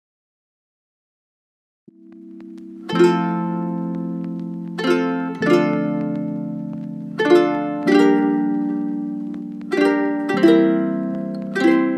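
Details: Gentle plucked harp-like music with sustained low notes and chords struck about every two seconds.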